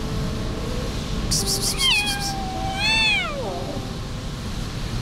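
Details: Kitten abandoned by its owner cries out in the street: two plaintive meows, the first short, the second longer, rising then sliding down, over low background noise and a brief high-pitched rattle.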